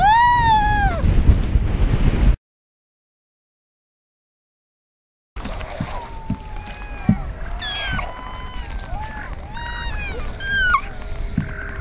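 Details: A harp seal pup on an ice floe gives nasal, cat-like wails that rise and fall, calling for its mother, over a low rumble of wind and water; pups are born in late February to early March.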